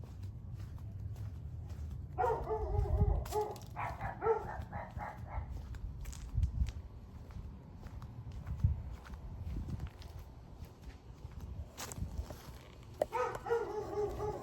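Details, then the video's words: Dog barking on July 9 at 8:38 in the morning: bursts of rapid harmonic barks around the start and middle, then another flurry near the end, separated by quieter stretches with low rumbling background noise and faint footsteps. "Barking dog"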